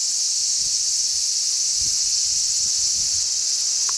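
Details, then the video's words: Large brown cicadas, many of them, sing on a zelkova tree, 3 August 2010, with strong sea breeze blowing. A flat, constant, piercing hiss-like buzz continues without pause, with faint low wind bumps underneath. "Large brown cicadas chirp."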